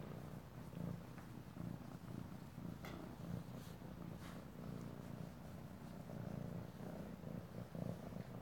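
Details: A happy kitten, playing with shoelaces, purrs loudly and steadily, loud enough to hear across the room; a deep continuous rumble pulsing with each breath.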